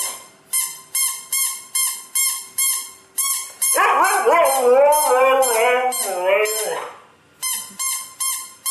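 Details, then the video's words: Pet Siberian Husky Nyockyee hearing a sound: a run of regular, decaying tonal pulses surrounds a wavering, rising-and-falling howl lasting about three seconds in the middle. "KETIKA HUSKY MENDENGAR SUARA INI"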